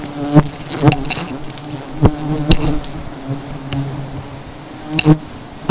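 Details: Honey bees buzzing during the taking of seven hives. The hum is low and even, punctuated by repeated loud taps and knocks.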